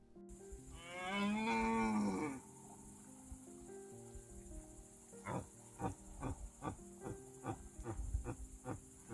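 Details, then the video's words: A red deer stag gives one deep, drawn-out bellow that swells and then fades; UK wildlife. "Animal noise number three is that of a red deer stag. This noise"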